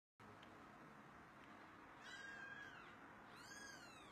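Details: Kittens meowing softly: two thin, high, arching mews rise and fall over a steady low background hiss.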